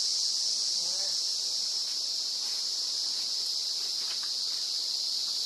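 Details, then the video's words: An emerald cicada (Zammara tympanum) at RPPN Corredeiras do Rio Itajaí, Itaiópolis, Santa Catarina, Brazil, sings a steady, piercing high-pitched buzz that never breaks. "Canto da Cigarra Zammara tympanum - Emerald Cicada singing - Cicadidae"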